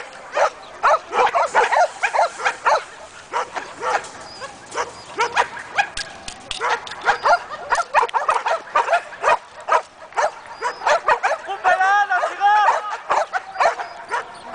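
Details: One-year-old Belgian Malinois during guard and protection training, barking hard and continuously in dense volleys of sharp, harsh barks, with a brief stretch of higher, strained yelping barks near the end.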